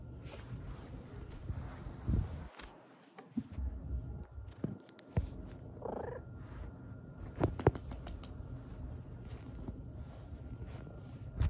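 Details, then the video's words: Black cat purring in a low, steady rumble, with a short rolling chirp rising near the middle and a few soft clicks and rustles around it. "black cat mrrpp mrp"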